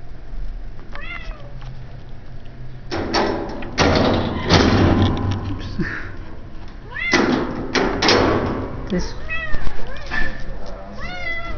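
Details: Shelter cat at an animal shelter in Idaho Falls, giving several short, arched, rising-then-falling meows at the start and again in a run toward the end, with a person talking softly and thumps in between.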